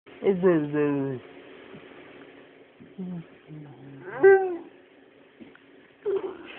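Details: One-year-old Labrador, Collie and Husky mix dog howling and yawning: a tonal, harmonic howl lasting about a second, brief low moans, then a rising, yelping howl near the fourth second and a short final whine.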